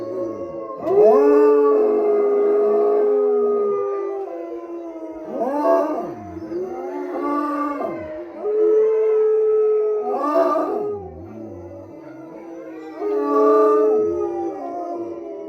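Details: Wolfdog named Tigo howling at the Southern Ohio Wolf Sanctuary: long, steady tonal howls of several seconds each, held level then sliding down, overlapping with other wavering, harmonic howls in a chorus.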